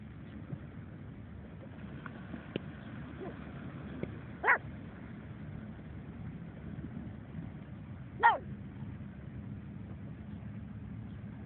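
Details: Pug on the beach giving two short, isolated barks roughly four seconds apart, with faint clicks and a constant low roar of surf or wind filling the background.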